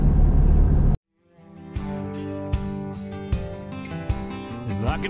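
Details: A brief low rumble like a passing vehicle cuts to silence, then music with a steady pulse and sustained tones. No animal sound can be picked out.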